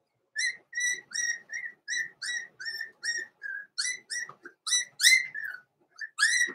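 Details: Blenheim Cavalier King Charles Spaniel puppies from Pom-Pom's small litter, born November 14, 2022, in a puppy pen: a quick run of high, thin squeals with slight upward bends, about two each second, loudest toward the end.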